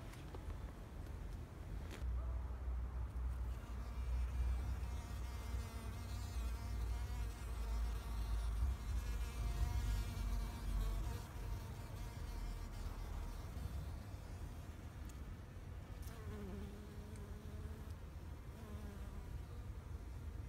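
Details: Bees foraging in a flower garden in Japan in spring 2021, a steady droning buzz with stacked harmonic bands that swell and fade as insects pass near, over a deep low rumble of background wind or traffic.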